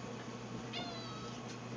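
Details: Hungry house cat near its food bowls in a pantry gives a brief, faint meow with a quick rising onset, then a softer second note, against constant electrical hum and room noise.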